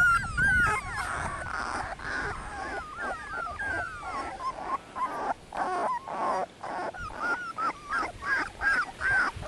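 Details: Litter of 18-day-old Dogo Canario puppies, offspring of Annie v.d. Pretorianern and Mirko De Atlantida Can, giving high, squeaky overlapping whimpers and whines, thin wavering cries that come in quick bursts roughly twice a second, with several pups calling at once.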